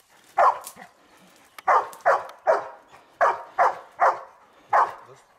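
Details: During search and rescue training on open ground and ruins in Thessaloniki, Greece, the one-year-old Labrador Retriever Ektoras lets out eight loud barks, one then a pause, followed by irregular pairs and singles, with quiet between them.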